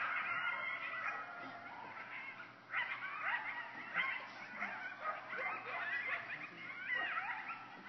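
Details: A group of coyotes about 50 feet from a cabin porch at Clear Creek cabins in Hendersonville, calling frantically: a dense chorus of overlapping high yips, wavering howls and sliding wails, rising and falling, continuous throughout.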